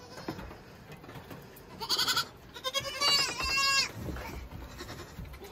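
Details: Saanen goat kids, all young males born this year on a farm, bleating: a short wavering bleat followed by a longer quavering one, both rich and nasal, over low background rustling.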